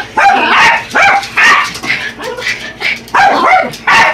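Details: A pair of Yorkshire Terriers attacking a radio-controlled toy truck, giving rapid shrill yips and barks, roughly two to three per second in uneven runs, the two dogs' voices overlapping.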